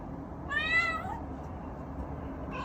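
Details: Male Munchkin kitten waiting at home alone, filmed on an iPhone, lets out one clear, arching meow, followed near the end by the start of a second mew, over quiet room hum.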